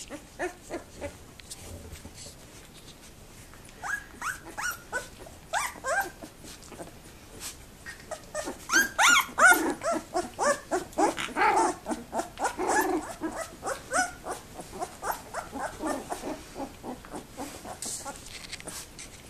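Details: Two-week-old Labrador Retriever puppies at a breeding kennel, very active in their whelping box on 7 December 2011: a busy stream of high, whiny squeaks and short yelps, overlapping and rapidly repeated, growing louder and denser past the midpoint, indoors.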